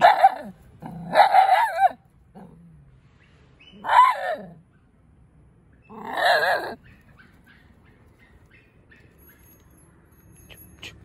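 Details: A Mudhol Hound puppy on watch gives sharp, harsh barks in short bursts, spaced a couple of seconds apart.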